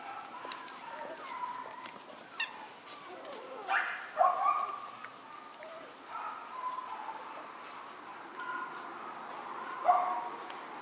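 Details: Four white Miniature Schnauzer puppy sisters, born on 9/10. They make soft, drawn-out whimpers and whines with an occasional sharper yelp, spaced irregularly over a quiet background with faint rustling.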